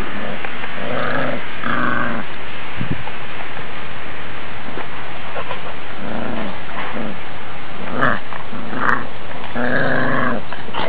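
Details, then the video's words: Two puppies play-fighting, attacking and playing: short rough growls and grunts in bursts of about a second, some rising into higher snarling yelps, over a constant low rushing background. "Puppies Fighting Each Other"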